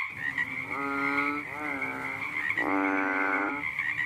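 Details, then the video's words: A fat frog calling at night makes three smooth, low, lowing croaks, the last one the loudest, over a constant high-pitched buzzing chorus. "The sound of a funny fat frog sounded one night"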